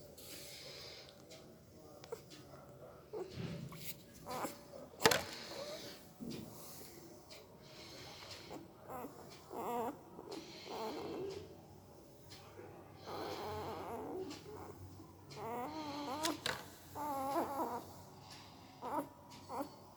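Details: Puppy making weird noises with its mouth while sleeping: soft clicks and snorty breaths, then a run of short, wavering whimpers midway, with scattered sharp clicks throughout in a small indoor room.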